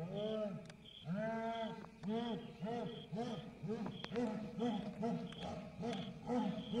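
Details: A jaguar in Goiás, Brazil, roars in a run of deep, hoarse grunts, repeated roughly every half second.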